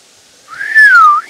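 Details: In woods around Poitiers, France, about 3 km from Futuroscope, a roe deer gives a single clear whistled note that rises, then slides slowly down.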